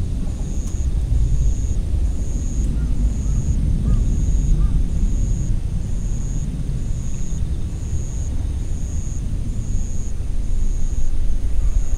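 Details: Steady low rumble of passing vehicles or aircraft fills the scene, with a faint high beep repeating about every second.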